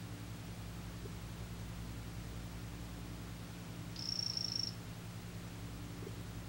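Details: From a male 'green' imitator poison frog comes one brief, shrill trill of fast pulses, rising out of a steady low mechanical hum. Faint soft clicks occur before and after.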